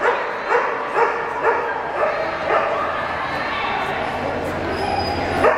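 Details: Cardigan Welsh Corgi bitch barking while running a Jumpers agility course at a Portland trial in September 2007; regular yappy barks about twice a second, with background chatter and hall noise throughout.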